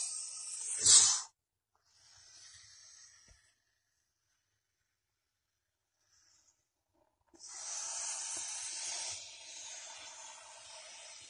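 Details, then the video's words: Venomous snake sheltering beside a water meter in Masis: a sharp loud hiss burst at the start, a softer one, several seconds of silence, then a long steady hiss. "ЯДОВИТАЯ ЗМЕЯ УДОБНО УСТРОИЛАСЬ ВОЗЛЕ ВОДОМЕРА И ШИПИТ"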